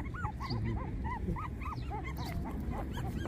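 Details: Puppies 24 days old whimpering in a steady run of short, arched, rising-then-falling whines, about three per second, over a low background hum.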